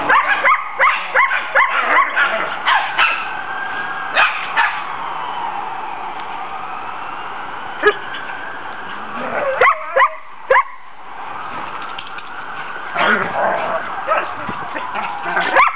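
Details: Collies at play in a backyard with their puppies: Tennyson, the family's 'talker', with mother Tesla and father Braedyn wrestling nearby. Long wavering whining howls run through the middle, framed by bursts of sharp yips and barks at the start and end.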